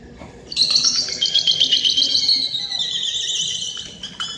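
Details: Captive beluga whales (Delphinapterus leucas) in an Arctic exhibit at SeaWorld Orlando give a run of high, bird-like chirping whistles that slide gently downward.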